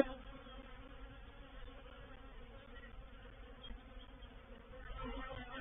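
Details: Honey bees swarming into a bait hive at Painted Peacock Manor, 04/07/21: a constant mid-pitched buzzing drone with steady tonal bands, growing slightly louder and rougher during the last second.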